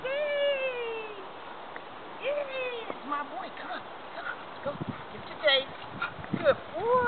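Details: English Springer Spaniels Molly and Morgan at play, chasing toys and chewing bark: a drawn-out, high, falling whimper opens, followed by shorter whines and yips scattered through, with a person talking to the dogs throughout.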